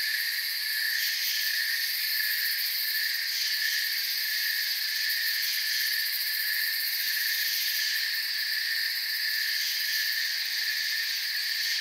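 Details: Steady cricket chorus from a calm forest at night, a shrill, continuous trilling in layered high pitches, with faint fluttering pulses at the top that come and go across the recording.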